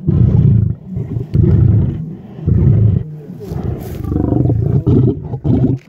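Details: Lion uttering deep, throaty roaring bursts, each about a second long and separated by short pauses, with a low rumbling tone throughout.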